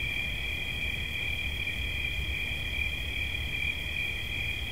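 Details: Cricket trilling without pause in a high, steady band, an unbroken shimmering drone with a low rumble of background noise beneath it.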